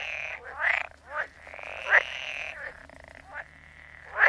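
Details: Frogs croaking: a few separate raspy calls, each a short burst with a drawn-out nasal tone in between, spaced about a second apart, with a faint low hum underneath.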